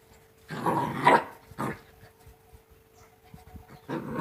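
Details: Playing Rottweiler puppies, two months old: a rough growling bark, a short second burst, then another growl starting at the end, over a steady faint hum.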